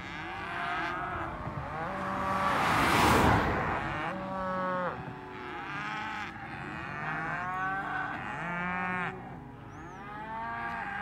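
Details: A herd of cows lows repeatedly, long wavering moos layered over each other, with a short broadband rush of noise near the start.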